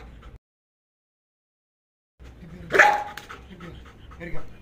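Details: Belgian Malinois being trained to bark on command rather than attack: a brief silence, then one strong bark with a short tonal edge, followed by lower yelping noises and a man speaking.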